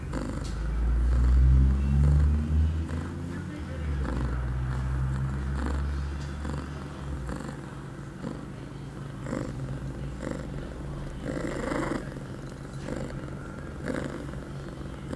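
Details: Eight-month-old female cat Pia, in heat on September 23, 2011, shortly after her first birth control pill, gives a sustained low purr; heavy rumbling handling noise fills the first six seconds, then rhythmic breath-linked pulses continue.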